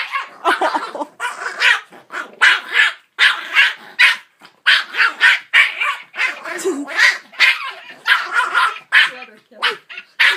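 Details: Puppy barking nonstop at a singing Santa toy dog that plays jingle bells: short harsh barks repeated about every half second in uneven bursts, with a woman's voice in the background.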